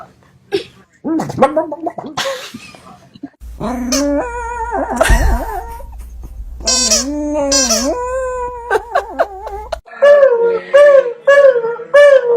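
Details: Dog producing weird, funny sounds: warbling, gargling, howl-like notes with wavering pitch, some long and sliding, ending in quick yodelling bursts, over a low steady hum for several seconds.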